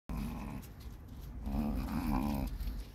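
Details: Chihuahua puppies indoors playing with a beetle at a kennel in Simferopol, Crimea; low, rough, buzzy growling in short overlapping bursts that swell toward the end.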